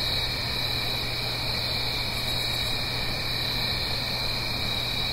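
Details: Many crickets trill without pause on a fall night in the Blue Ridge Mountains, uphill from a stream; a dense high ringing drone with a lower secondary band, a faint pulsed higher chirp near the middle, and steady water hiss.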